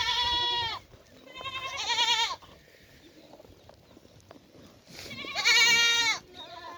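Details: Goats at a farm in Rajasthan, India, calling in loud, quavering, harmonic bleats, three in a row with pauses between, the last long and strained, over a soft farmyard background.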